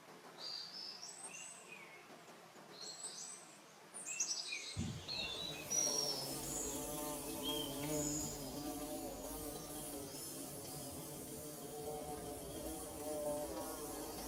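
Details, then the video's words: Bees buzzing while building their nest, a steady droning hum with layered harmonics that starts after about five seconds; before that, quick high chirps from small birds are heard over a quiet background. "Bee Buzzing"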